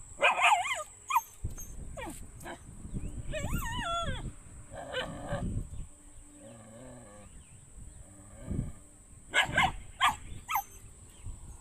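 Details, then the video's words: Dog giving loud, sharp barks mixed with wavering, rising-and-falling whines and yelps, then a second burst of barking near the end; a low rumbling background runs underneath. "dogs barking"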